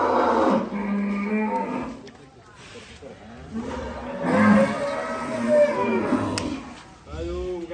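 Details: Huge cattle stepping off a truck at Bintang Tani Farm, repeatedly mooing in long, deep, harmonic bellows separated by short pauses, with a sharp knock near the end.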